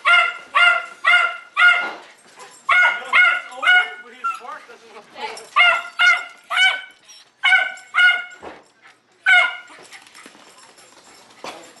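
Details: Insistent high yips from Jay the Jack Russell Terrier, a dog described as having dependency issues, come in short clusters, then thin out into softer whimpers and a quieter tail.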